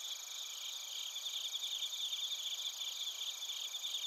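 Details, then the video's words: Bell crickets and other crickets chirping in Narita, Chiba Prefecture, Japan, recorded with a TASCAM Portacapture X8. A dense, high-pitched chorus of steady trilling layers with fast pulsed chirps over a constant ringing drone, with no other sounds. "スズムシとコオロギの鳴き声 - Chirping of crickets"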